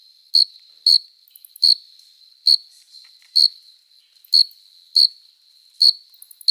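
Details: Chorus of male crickets on a summer night, stridulating by rubbing forewings to court and attract a female: short, bright ringing chirps with high overtones, about eight of them, repeated roughly every 0.8 seconds, faint ticking between.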